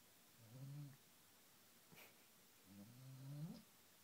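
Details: Great Pyrenees puppy snoring while asleep, two low rasping snores about two seconds apart, each with a rising nasal edge as he struggles to draw air through his nose, in a quiet room.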